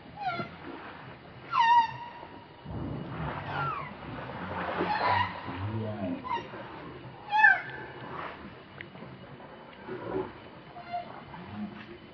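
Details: Baby monkey Leo, hungry and begging its mother for milk, gives two high, thin wavering cries with a sharp downward bend, about six seconds apart, over low rustling and murmuring background noise.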